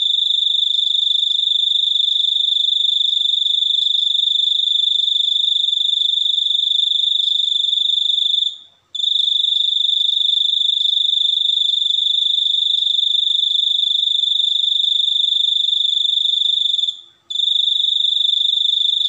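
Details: Cricket singing a continuous high, pure, steady trill with a faint overtone, broken by two brief pauses near nine and seventeen seconds; no other sounds stand out.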